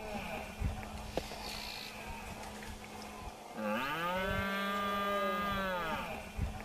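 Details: Red deer stag roaring during the September rut in Sierra de la Culebra while two males fight. One long groaning roar starts with a quick upward bend, then holds level for over two seconds. A low steady hum runs underneath.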